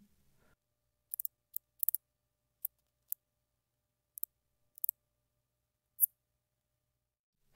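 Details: Fork-tailed bush katydid (Scudderia furcata), a common Illinois/Midwest species, singing very modest, sparse, high, dry ticks with one occasional slightly longer zip near the end.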